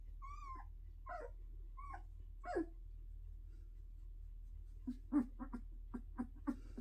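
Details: Pyrenean Mountain Dog puppies taking their first steps; several high thin whines and squeaks, some rising then falling, followed by a run of short soft yelps and grunts, indoors with a low steady hum.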